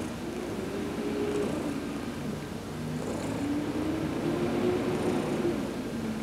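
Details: Heidi the cat purring under a massage in the sun, November 19, 2020; low, even purring rumble with a few faint drawn-out tonal hums rising and falling across it.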